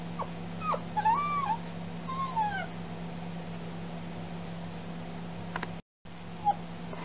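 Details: Newly spayed foster puppy keeping its carer awake all night, giving arched, wavering whines in quick clusters early on, then a single sharp yelp later, with a constant low mechanical hum behind.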